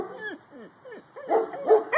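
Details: Purebred Husky giving short, arched, yodelling vocal notes in quick succession, first softer and falling, then louder and bunched together near the end.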